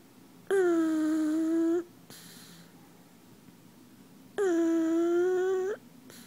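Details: Pug asleep in someone's arms, snoring in steady whistled tones about 1.3 seconds long, repeated roughly every four seconds, with each tone ending in a slight upturn and soft breaths in the gaps.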